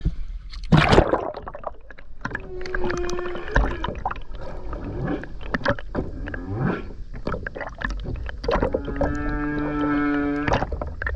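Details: Humpback whale song recorded underwater by a skin diver off the Ogasawara Islands, Tokyo, Japan, on 29 January 2022; long tonal moans with rich harmonics, including a steady held note and a rising wail, among clicks and water noise.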